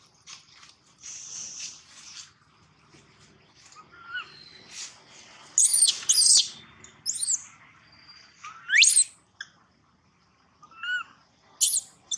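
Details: Baby monkey Gino wails loudly, with sporadic soft whimpers followed by harsh, very high shrieks in tight pairs and a long rising squeal.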